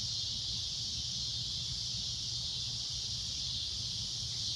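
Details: A cicada at sunset gives a loud shrill drone, a flat continuous high whine with no breaks, and a low rumble in the background.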